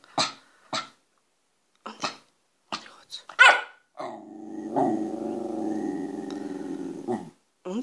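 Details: Wire fox terrier barking in short, sharp bursts, about six scattered over four seconds, then a long, sustained rumbling growl lasting roughly three seconds, with a person speaking Romanian around it.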